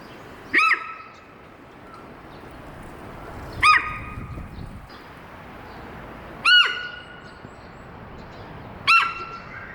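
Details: A captive 15-year-old female Hokkaido sika deer at Sapporo's Maruyama Zoo, suddenly alarmed by something, gives loud, sharp, squealing alarm calls about every three seconds; she kept calling for about ten minutes (20 April).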